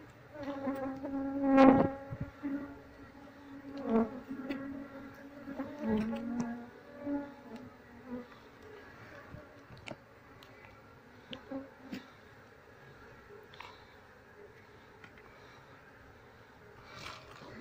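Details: Wild honey bee colony being transferred into a cardboard box once the queen is taken; sustained humming drone of the swarm, with louder surges early on and intermittent knocks and clicks from handling.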